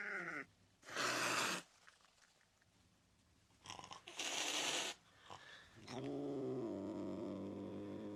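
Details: Angry cat hissing: two loud, harsh, breathy bursts about three seconds apart, each under a second long, then a low, drawn-out tonal growl that holds steady to the end.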